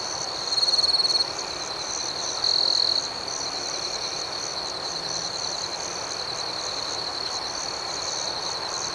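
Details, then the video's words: Crickets at night keep up an unbroken high trill with quick pulsing overtones. Two louder chirp bursts come early on, then the chorus settles into an even drone. "Soothing Cricket Sounds"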